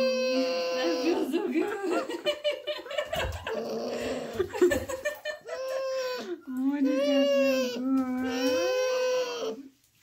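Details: A sad puppy at bath time whines in drawn-out, crying tones that rise and fall, mixed with a person's soothing talk early on and then longer, louder whimpers.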